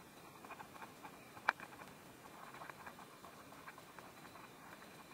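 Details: Soft crackling chewing of a praying mantis feeding on a wasp in Korea, a dense patter of tiny ticks with one sharp loud click partway through, quiet hiss behind.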